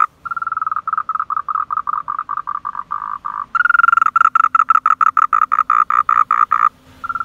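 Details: Frogs heard but not seen in a car park at Man Yuet Yuen; evenly spaced short croaks in a fast series, swelling into a louder, harsher run of rapid pulses before a pause.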